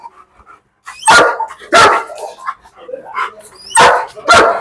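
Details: German Shepherd Bruno, kept on a chain in Perumbavoor and called a biter, lets out four deep, abrupt barks in two pairs with a quiet gap between, faint voices behind.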